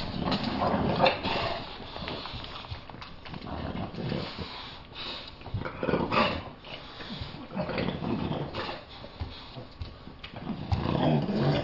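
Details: English Bulldogs, two adults and an 8-week-old puppy, squabble over a stuffed toy the adults won't share, with rough, breathy snorts and grumbles while a person talks nearby.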